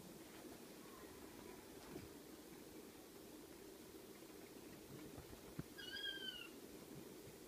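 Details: Ocicat kittens aged six weeks, with a faint brief mew near the start, then a clearer high-pitched bending mew toward the end, set against continuous low indoor rumble.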